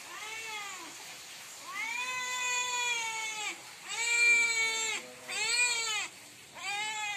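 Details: Hungry cat crying loudly at night for food, giving a run of five long wavering meows, each about a second, bending up and down in pitch, spaced by brief pauses, getting louder midway.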